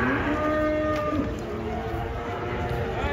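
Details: Escaped banteng, furious while being unloaded from a truck, gives a long moaning moo that rises slightly and holds through most of the clip, with background music playing throughout.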